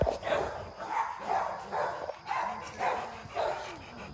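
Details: Rottweilers at MillCoop Rottweiler Kennels, kennel dogs bred for block heads; deep barks repeat about once a second in uneven bursts with short pauses, with a steady high hum in the background.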